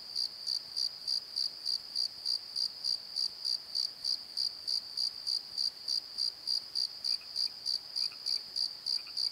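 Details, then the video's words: Crickets at night in a valley bottom near a tree at Pozo give a shrill, steady pulsed chirping about three times a second, while faint lower chirps creep in toward the end. "Crickets and Croaks! Pozo Night Tree"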